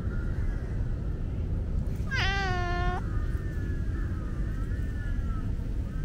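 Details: A young tabby tomcat with tiger stripes and white hind socks, shy but trusting, gives one clear, drawn-out meow lasting nearly a second while being petted. The tone is steady and slightly falling, heard over a constant low hum.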